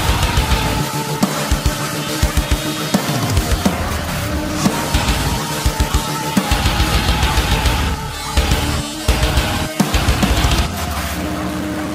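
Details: Loud heavy metal music with distorted guitar and pounding drums plays throughout, with no animal voice heard.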